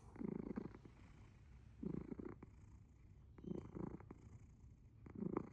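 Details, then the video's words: Sleeping pet cat purring very loudly, or perhaps snoring: low rumbling bursts come roughly every one and a half seconds, four in all, with quiet gaps between them in a still room. "Purring? Or snoring? Very loud ゴロゴロ音？いびき？すやすや寝るアッシャー"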